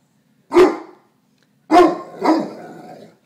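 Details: Neapolitan Mastiff protectively barking at himself in a mirror: three loud, deep barks, one alone and then a close pair about half a second apart, trailing into a low rumble.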